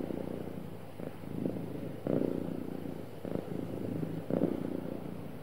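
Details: A happy cat purring smoothly: a low, continuous rumbling throb that swells in soft pulses roughly every one to two seconds, steady and unbroken throughout.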